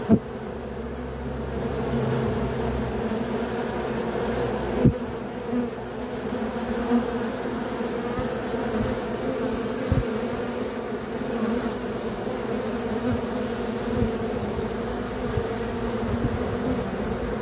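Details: Bees buzzing in a dense, continuous hum with steady low tonal bands, broken by a few soft knocks and thumps.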